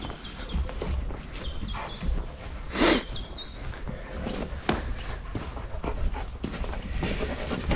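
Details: German Shepherd dog in the morning at breakfast time, panting and moving about while food and fresh water are given; soft rustling and clinking, a sharp knock near the third second, and a few brief high whistly tones.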